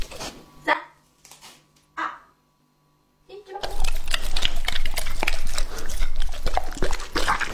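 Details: Lucky, a two-and-a-half-year-old English-type Labrador Retriever, served a raw meal of quail, pork tenderloin, duck heads and pig heart; a few quiet scattered sounds, then after a pause, loud dense wet chewing and crunching to the end.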